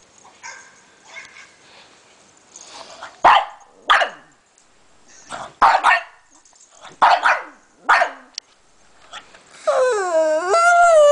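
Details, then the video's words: Pug going after a laptop, giving a run of about six loud, short barks spaced roughly a second apart, followed by a rising-and-falling whining, squeaky tonal sound at the end. "Pug attacks laptop"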